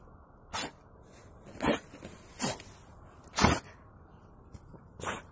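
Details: Buran, a yard-breed guard dog from Siberia, keeps sneezing from snow up his nose: five brisk, breathy bursts at irregular intervals of about one second, varying in strength, against a hushed background.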